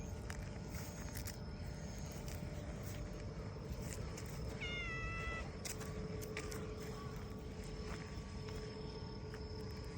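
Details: Black-and-white tuxedo community cat in Japan, meowing as it leads a person to follow it: a single short, clear harmonic meow midway, steady then slightly falling, over a constant background hum and faint outdoor noise.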